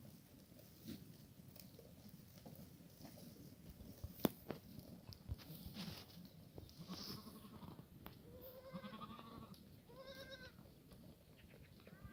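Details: Korean black goats at a farm in Gimhae, South Korea, on a sunny late-March Sunday morning in a cold snap; faint low background rumble, then a few short wavering bleats in the last four seconds.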